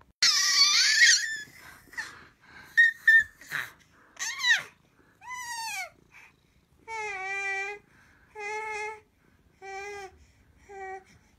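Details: Indoor kitty mewing insistently: a rough, breathy first cry, a few short chirps and arched, falling mews, then a run of four even, sustained wailing meows spaced about a second apart.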